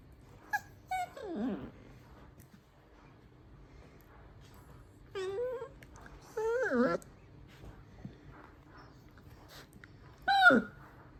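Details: Miniature dachshund puppy indoors "singing": a few drawn-out, wavering howls and whines that slide up and down in pitch, separated by pauses, with a final short rising-falling wail near the end; quiet room otherwise.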